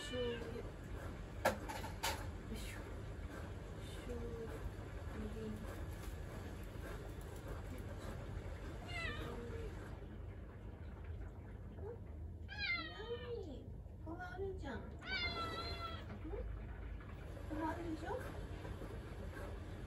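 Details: Attention-seeking house cat in a kitchen, meowing repeatedly: soft early mews, then a burst of several clear, wavering, drawn-out meows in quick succession, with a person's voice and household clatter in the room.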